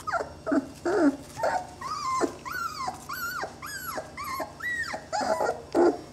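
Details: Young Saluki puppies, twenty days old, give rapid whimpers of about two per second. Short grumbling, growl-like notes come first, then clearer high whining squeals that arch up and drop away.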